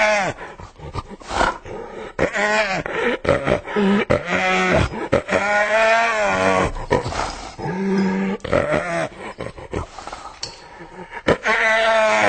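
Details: Hyena vocalising in rapid, uneven bursts of short tonal yelps and cackles, several per second, with bright harmonic whines between them, like excited giggling.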